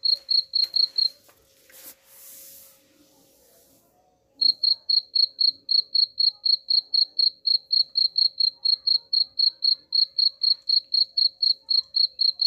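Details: Cricket chirping used as a rat repellent: quick high pulses, a few seconds of muffled rustling noise breaking in, then the rhythmic bright chirps resuming at about four per second.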